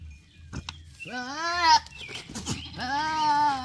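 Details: Male goat sounding almost like speech, giving two rising, wavering bleats separated by a brief gap, over a low background hum.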